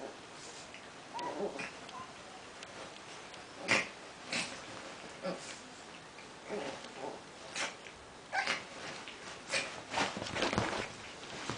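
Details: Prague ratters at play, making a string of short, breathy snorts and grunting bursts, with a brief higher whine near the start, spaced irregularly every second or so, with soft rustling and faint human voices around them.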